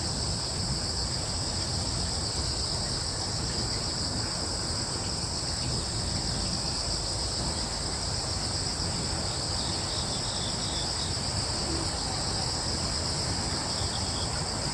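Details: Crickets chirping in woodland on Yeongjong Island, Korea, as a constant high, bright insect drone, with a few faint higher chirps around the middle and a steady low breezy rumble.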